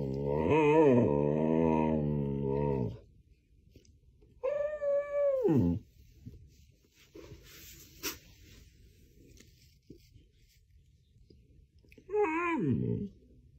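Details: Rufio, a Samoyed, talking to wake a person pretending to sleep: a long, wavering, harmonic howl-like vocalisation for about three seconds, a second bending, falling yodel, then a short quiet gap and a final rising-falling vocal burst.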